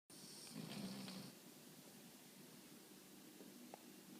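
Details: Titus, a Boston Terrier, napping indoors: a breathy, rasping snore swells over the first second and a half, then fades to a softer steady wheeze with faint snuffles and a small click near the end.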